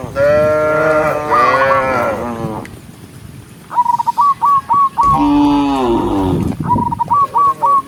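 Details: Cows herded from a pen run down a green hill to graze on a bright morning, giving long, deep, wavering nasal moos, with short, high, evenly spaced chirps, perhaps birds singing, repeating between them.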